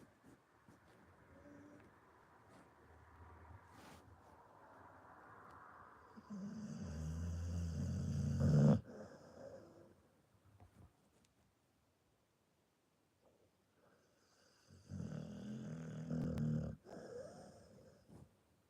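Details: Sleeping Pit Bull gives two long, deep snores, each swelling to a loud rasping peak before fading, with a quiet stretch between them and faint background hiss.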